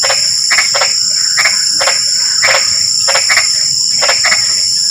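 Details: In drizzling rain a frog repeats brief grating croaks, often doubled in close pairs, about eight bursts in five seconds, over a loud continuous whine of crickets.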